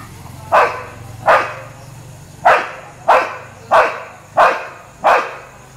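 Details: Street dogs barking at a Labrador; seven evenly spaced, sharp single barks, about one every 0.7 seconds, over a low rumbling hum in the background.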